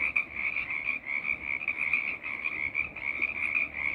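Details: A frog choir: many frogs calling together in a dense, unbroken chorus of high, shrill trilling notes that swell and fade slightly every second or so, with no other clear sounds.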